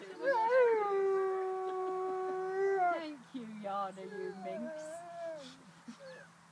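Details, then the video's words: A female gray wolf, out on a walk in Bedfordshire, gives a long, steady howl that drops off at the end, telling her sister she is okay. "Walking with wolves - howling"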